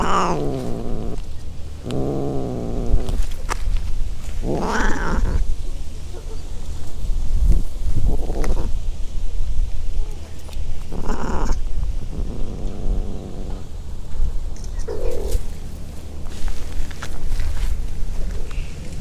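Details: Free-roaming cats on Aishima cat island, Fukuoka, Japan, in the mating season; an adult cat in heat approaches a light ginger tabby kitten. Repeated moaning yowls come in separate bursts every few seconds, over steady low outdoor background noise.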